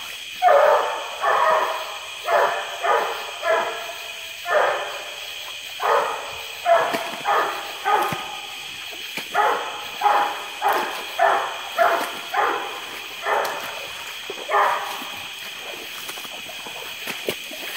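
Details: Treeing Walker Coonhound Lucky Penny barking at a tree in a small flooded swamp near Porter Bayou, Indianola, Mississippi, on a hot July 2016 day after rain; steady hoarse barks roughly every second over a loud insect drone.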